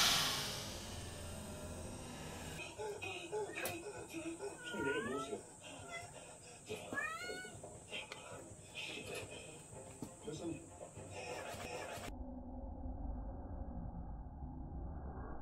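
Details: Uju, a 68-day-old kitten from a mountain village, adopted 38 days earlier, gives two short rising-then-falling meows a couple of seconds apart indoors, with human speech and room noise around them.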